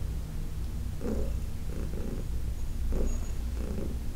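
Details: Heidi, a senior female cat adopted from the Humane Society of New York City, purring while being massaged on August 4, 2021: a steady low rumble with rhythmic pulses of brighter mid-range breath roughly every second.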